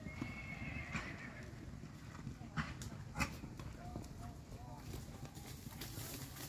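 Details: Purebred Arabian horse giving a high whinny at the start, a wavering harmonic call that slides slightly downward over about a second, followed by scattered hoof clops, thuds and quiet human voices in the background.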